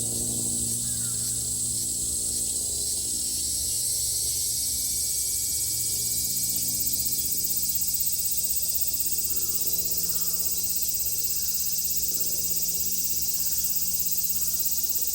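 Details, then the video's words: Cicadas in Japan in summer 2022: a dense, unbroken shrill hiss fills the upper range for the whole stretch, steady in loudness, with faint scattered low chirps beneath. "Sounds of the cicada [ Japan in summer ] セミの声"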